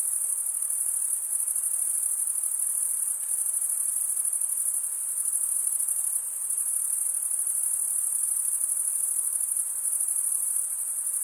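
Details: Crickets, males stridulating by rubbing one wing across the toothed vein of the other, make a dense continuous high-pitched trill that holds steady throughout with fine pulsing texture and no other clear sounds.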